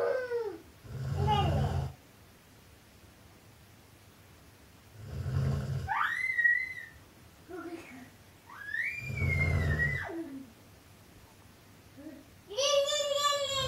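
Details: Huge dog named Gerda snoring indoors: three deep, rumbling low snores about four seconds apart, each followed by whistled, wavering tones, with a brighter whistling burst at the end.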